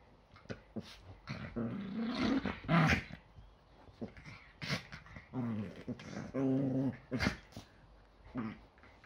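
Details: Play-fighting Yorkshire Terrier on an ordinary Sunday morning, the day's first scuffle before breakfast; drawn-out, tonal growls rise into whiny snarls around two to three seconds and again near six to seven, punctuated by snaps and yips.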